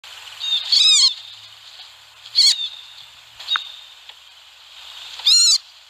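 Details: Wild baby rabbit screaming: four sharp, high, arched squeals with a reedy, harmonic edge, spaced irregularly over a few seconds against a quiet outdoor background.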